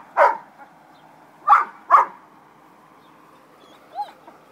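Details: Puppies at play give three sharp, high yapping barks, one early and then a close pair, followed by a short faint squeak near the end over a quiet background.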